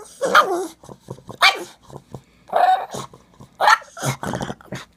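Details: A pug makes odd, warbling whines and grumbly yips in short bursts about a second apart when someone stops scratching his rump, seemingly demanding more.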